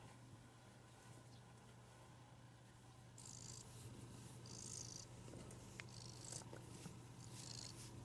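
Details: Domestic cat that seeks petting whenever it can, purring with a steady low rumble throughout, joined by soft rustling bursts in the second half and a constant background hum.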